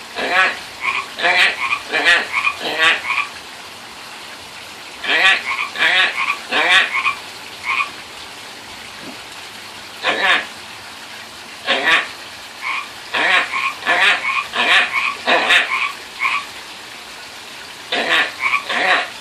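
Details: Pacific tree frogs calling by a friend's pond: bursts of two-part raspy croaks, repeated quickly in runs of three to six, separated by short pauses.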